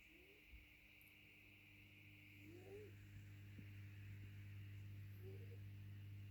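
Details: Boycie, a ginger cat described as incredibly feral, snoring: soft whistling tones that rise and fall, three breaths spaced about two and a half seconds apart over a steady low electrical hum.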